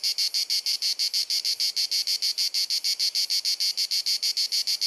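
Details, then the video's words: Cicada song filling the air on a sunny summer afternoon in Dalmatia, Croatia, recorded with a compact camera: evenly spaced, piercing buzzy pulses, around three each second, a repetitive clicking chirr with nothing else audible. "Cicada Singing ☀️ Pjesma Cvrčka ☀️ Chant des Cigales ☀️ Zikaden Geräusche ☀️ アブラゼミ☀️Cigarra Cantando"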